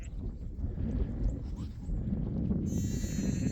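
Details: On a farm field after heavy rain, a lamb gives a quavering, nasal bleat, calling for its mother, over a heavy low rumble, likely wind or rain, that runs throughout.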